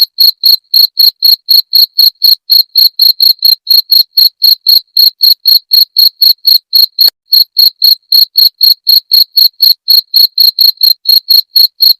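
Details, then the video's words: Chirping of a cricket meant to scare off rats: rapid, regular high-pitched pulses around four each second, ringing and bright, continuing unbroken for twelve seconds apart from one short skip near the middle. "Suara Jangkrik pengusir tikus"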